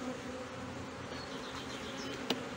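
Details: Hive of honey bees, Brno, 2022, with an inserted queen cell found bitten open; a constant thick droning buzz, one sharp click near the end.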